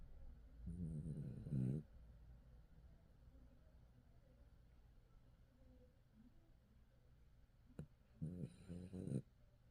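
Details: Sleeping dog named Kim Gap-ryong snores indoors: two low, rasping, drawn-out snores, one near the start and one near the end, separated by a long quiet stretch of soft breathing.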